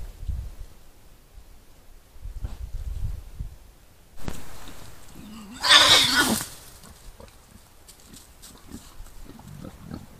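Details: Wild boar at night in the Kessel, caught on a wildlife camera: one harsh, loud, noisy squeal of about half a second stands out amid low rustling, scuffling and soft thumping movement sounds.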